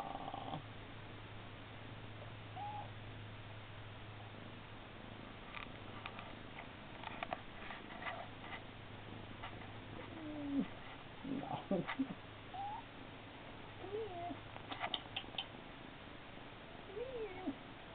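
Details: Purring from Siamese kittens Charlie and Milo, September 2013: a continuous low rumble for most of the recording, overlaid by scattered brief higher squeaks and clicks near the end.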